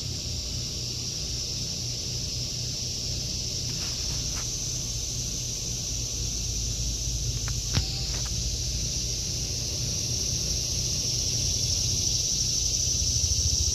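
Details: Summer cicada chorus over a home vegetable garden in August 2023: continuous high hissing drone, slightly swelling toward the end, with a few footsteps and taps plus a low traffic hum.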